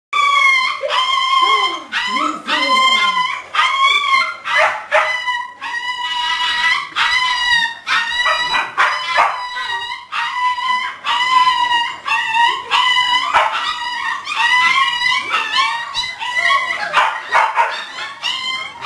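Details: Six-week-old English Springer Spaniel puppy Chancie during obedience training, filmed 12-11-10: a near-continuous run of high, clear whines and yips, each short and sharply pitched, coming in quick overlapping bursts for the whole stretch.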